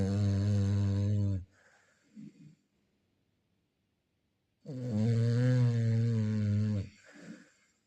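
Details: Loud rumbling snores from a Chow Chow, each drawn-out rasp running one to two seconds, separated by quiet gaps and faint short exhalations, inside a room.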